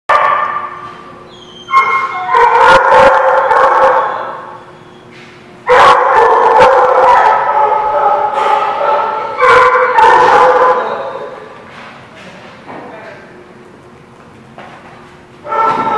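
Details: Dogs barking in loud, overlapping bursts on 9 September 2016, three strong outbreaks of repeated harmonic barks and yips separated by quieter pauses, with a steady low hum underneath.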